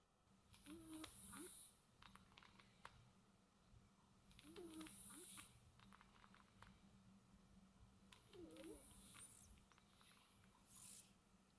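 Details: Domestic cat snoring softly while sound asleep indoors: slow breath cycles roughly every four seconds, each a soft airy hiss with a faint whistling squeak on the inhale, very quiet overall.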